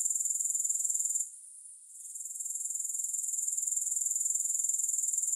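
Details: High, rhythmic pulsing trill of grasshoppers, without music, stopping for under a second after the first second, then gradually building back to a steady, even beat.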